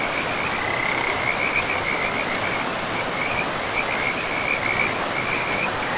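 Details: Frog chorus by a forest river in a pristine, mossy woodland. A continuous high rattling trill pulses throughout, rising slightly in bursts, over loud, even rushing water.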